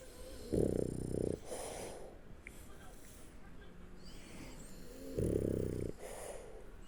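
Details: French Bulldog named Shturm snoring while asleep on its back; two low, rasping, harmonic snores about four seconds apart, with quiet breathing between them.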